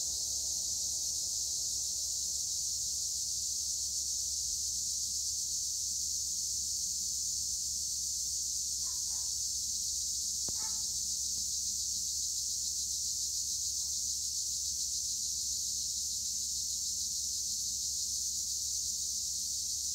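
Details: An olive grove near Edremit and Güre, Turkey, rings with a tree cricket chorus, named as Acheta assimilis. It is a steady, very high, hissing trill with no pauses, and a few faint brief clicks sound partway through.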